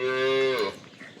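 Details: Loud, close moo from a Friesian Cholistani cross cow in Pakistan, 05/12/2025: a short, even, tonal low call lasting about half a second that bends downward as it ends, followed by quiet room-like background.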